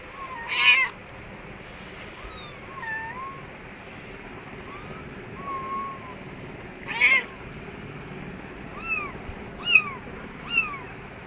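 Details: Kittens with their mother cat in an office store room give high, thin mews, some short and arched, others longer and sliding downward, scattered irregularly and mixed with a few brief harsher squeals over low room noise.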